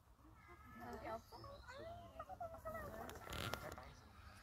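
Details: Baby monkey being fed, giving a run of thin, tonal squeals that rise and fall in quick succession, with human voices talking over them and a brief rustling burst near the end.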